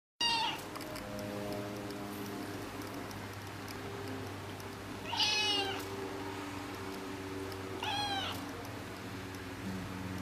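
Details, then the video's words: Persian kitten saying goodnight: three clear, rich meows, each a short rising-then-falling cry, spaced several seconds apart over a steady low household hum. "Persian kitten saying goodnight"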